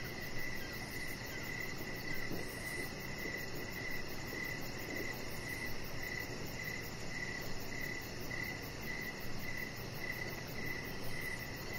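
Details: Crickets calling in the evening around an outdoor deck. A steady train of short mid-pitched chirps repeats about every half second. A fainter, very high pulsed buzz comes and goes over a soft rumbling hiss.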